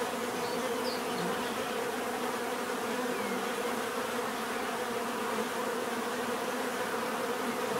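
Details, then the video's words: Swarm of bees buzzing continuously, a thick layered drone that holds a constant hum with a faint higher whine, occasional single bees passing closer, nothing else audible. "bees therapy relaxing natural buzzing sound"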